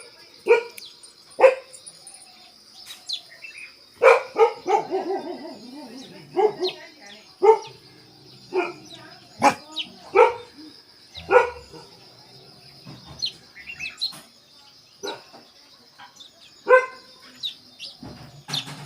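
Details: Himalayan Baan Gaddi dog, a family pet, kept in Delhi: a run of short, sharp barks that come in bursts with brief gaps, some in quick pairs, over a steady high whine in the background.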